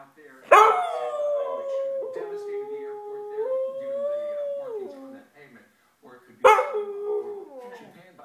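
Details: Talkative Siberian Husky producing a long, modulated howling "talk" that rises midway and drops off after about four seconds, followed by a pause and a second shorter yowling burst.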